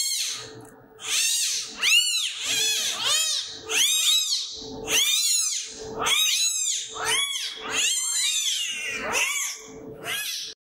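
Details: Two hand-raised, nine-day-old female clouded leopard cubs (Neofelis nebulosa nebulosa) at Nashville Zoo give high, harmonic mewing squeals in quick, uneven succession.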